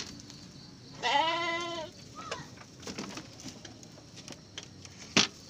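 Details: Garut sheep at a triplet birth: one strong, trembling bleat of about a second, then faint shuffling, taps and a sharp knock in a quiet pen.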